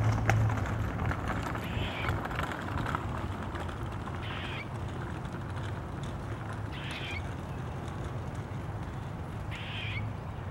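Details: An Eastern gray squirrel, recorded on 15 February 2023, gives short, harsh, rasping alarm calls spaced a few seconds apart over a steady low rumble.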